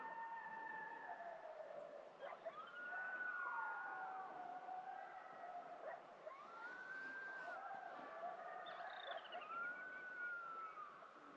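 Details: Several gray wolves give a chorus howl at sunrise on a cold morning in Yellowstone, heard from a backpacking camp. Their long, smooth tones swell and slide down, overlapping.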